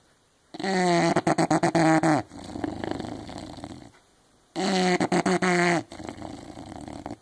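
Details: Zella, an English Bulldog, asleep and snoring heavily; each breath in is a loud buzzing, fluttering snort over a second long, trailed by a rough, breathy release, repeating about every four seconds.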